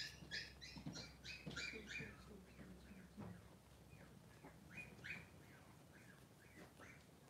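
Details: Two newborn Blenheim Cavalier King Charles Spaniel puppies, both male and 3 days old, in a whelping pen with their mother Pom-Pom. A fast run of high squeaky whimpers with bright overtones, then a quieter pause and a few more squeals, over soft rustling.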